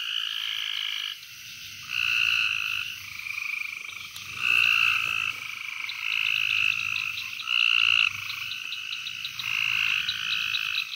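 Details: Gulf Coast toads at Fort Polk, Louisiana, on 24 June 2020 call in a chorus of short, dry, buzzing trills, each lasting about a second, at slightly different pitches and overlapping almost continuously.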